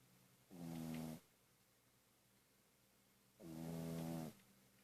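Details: Sleeping Pug-a-Poo dog snoring indoors: two drawn-out, buzzy, harmonic snores, each under a second long and about three seconds apart, with quiet breathing between.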